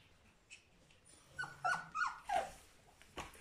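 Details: Three-week-old puppies from the litter of Charlotte and Magic, indoors, giving a few short tonal whines in quick succession, each brief and slightly falling, with faint rustling and a sharp click near the end.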